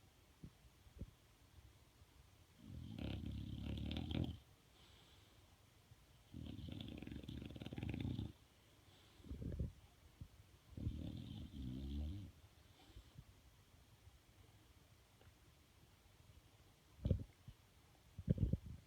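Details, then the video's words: Sleeping bulldog snoring indoors: deep, rumbling low breaths in drawn-out bursts of about one to two seconds, separated by quiet pauses, with a few short snorts near the end. "the snoring/farting bulldog"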